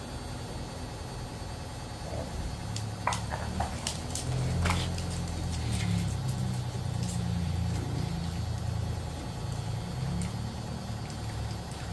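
A low vehicle engine rumbles steadily with a few clicks and knocks, and no animal voice.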